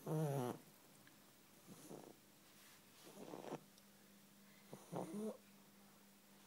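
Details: Bulldog kept as a pet, snoring while asleep: a loud snort at the start, then irregular softer rattling breaths and a nasal whistle, over a constant low hum.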